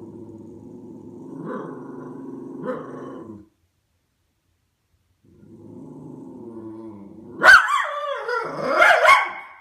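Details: A white Miniature Schnauzer perched on top of a sofa growls low and rumbling with rising, talkative inflections at neighbours coming home, then breaks into sharp barks.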